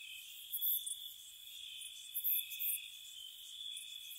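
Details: Crickets calling on a spring night at a cottage: a constant thin, high trill with a few louder chirping flurries rising above the steady drone.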